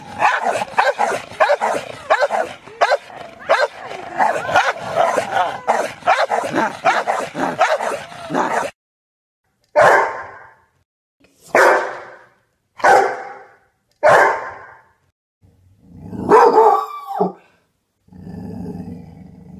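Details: Rottweiler, a large domestic dog breed, with a dense rapid run of overlapping barks and noise, then five separate strong barks spaced about a second apart, ending in a low growl.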